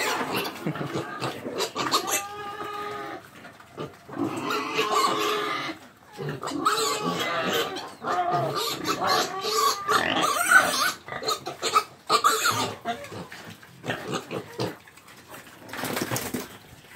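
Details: Pig giving a busy run of harmonic squeals and grunts, some rising and falling, packed closely with brief pauses, amid clattering background noise and possible voices.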